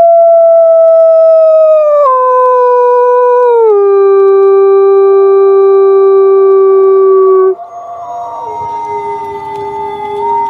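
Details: Wolf howling at night: a long, steady tonal howl that drops in pitch in clear steps. Partway through, a second voice joins and the sound turns into overlapping, wavering howls.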